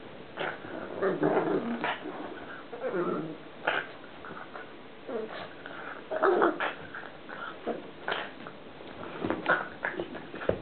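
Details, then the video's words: Pet pug Columbo at play, producing a very strange noise: a steady run of raspy, throaty growls and snorts with short whiny tones, continuing almost without pause. "COLUMBO OUR PUG, PLAYING, FUNNY NOISE"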